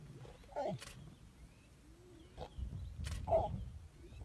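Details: African lion giving brief throaty growls, one burst early and a deeper, longer rumble near the end, separated by a quiet gap with faint clicks.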